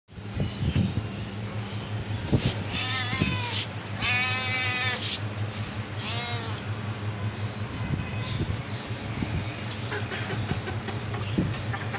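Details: Domestic cat meowing, sounds meant to attract other cats: three drawn-out, harmonic-rich meows in the middle stretch, the longest wavering and slightly falling, set over a steady low hum and scattered soft clicks.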